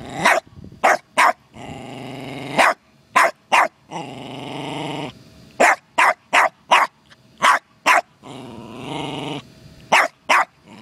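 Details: Yard encounter between a terrier called Costello and a turtle: sharp barks alternate with several long, harsh rumbling growls, the barks coming in quick clusters of two or three.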